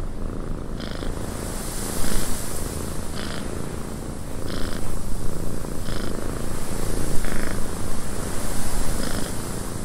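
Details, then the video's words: Low, even purring from a cat in a cabin with wind outside; soft hissing wind throughout and short bright taps or creaks recurring about every one to one and a half seconds. "Cat Purring in a Windy Cabin"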